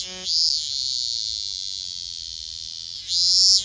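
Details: Minmin cicada held in the hand, singing on 10 August 2024: a loud, steady, high-pitched buzzing drone, swelling into brighter, stronger surges at the start and again near the end, with no other sounds.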